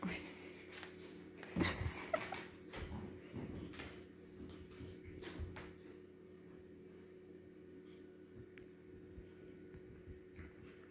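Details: Siberian Huskies Lora and her father Baikal begging for food indoors in a small room; soft, brief whimpers and sniffing noises come in scattered bursts, mostly in the first half, with a person talking nearby.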